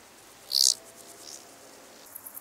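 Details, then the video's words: Large Banded Grasshopper, Arcyptera fusca, on the sunny slopes of Fließer Sonnenhänge, Austria, on 16 August 2018. A single brief, loud, high rasping burst is followed by near silence, then a few faint, dry ticks. "Arcyptera fusca -- Große Höckerschrecke -- Large Banded Grasshopper"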